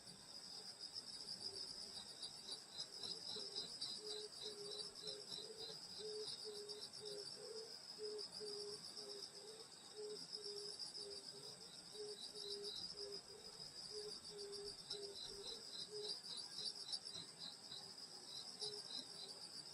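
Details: Summer-night countryside insect chorus at a grandmother's rural home, a dense, continuous high-pitched buzzing trill with fine rapid pulsing, while lower short chirps repeat in quick runs through the middle stretch.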